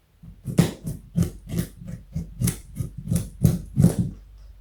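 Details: Pet rabbit, a 4.6 kg buck about 60 cm long, eating a carrot indoors; rapid crunchy chewing bites in a steady rhythm, roughly two to three per second, close to the microphone in a small room.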